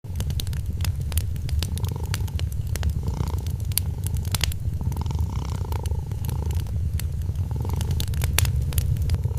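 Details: Sleeping kitten purring beside a Christmas fireplace: a steady low rumbling purr that swells and fades with each breath, with sharp crackles and pops from the burning fire scattered throughout.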